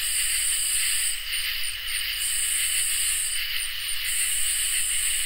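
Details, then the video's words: Crickets and katydids fill a summer night with constant high trilling. The topmost buzz comes in stretches of about a second, with rapid little pulses between them. "Crickets and Katydids in Summer | Ambient Night Chorus"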